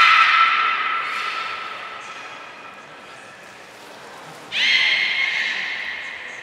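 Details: Belugas in a group training session at Port of Nagoya Public Aquarium, 2 April 2023; a fading sustained harmonic whistle, a quieter pause, then a fresh whistle starting abruptly and held.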